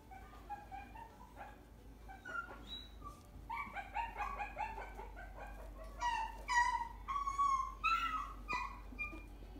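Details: Chihuahua at a pet shop in Kariya, giving many short, high, whining yips and whimpers in irregular bursts, about two per second. They grow louder and busier in the second half, with steady background hum throughout.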